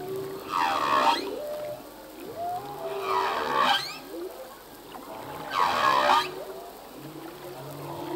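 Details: Full-length song of a male humpback whale at sea: three loud harmonic cries, each with a sweeping upward trill, spaced about two and a half seconds apart, linked by softer low moans and rising whoops.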